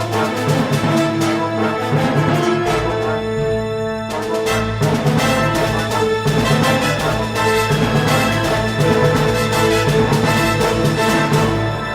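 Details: Loud, dense orchestral theme music with driving percussion throughout, and no roars, whoops or other animal calls.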